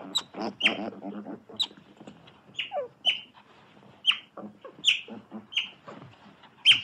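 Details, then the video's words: Otter giving sharp, high squeaky chirps at uneven intervals, mixed with lower raspy chattering and softer murmuring calls between the louder peaks. "Otter Sounds"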